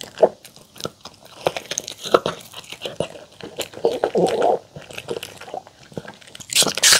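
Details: A pet poodle named Mong crunching through homemade chicken tenders and fresh salad of apple, carrot and cabbage indoors. Sharp, dense bites and crisp crunches follow one another rapidly, ending in a loud burst of crunching.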